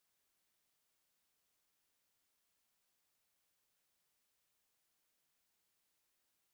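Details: Steady, unbroken high-pitched buzz of a Ruspolia lineosa katydid, National Institute of Biological Resources 2020 recording, rapidly pulsed at an even rate throughout, with no other sounds.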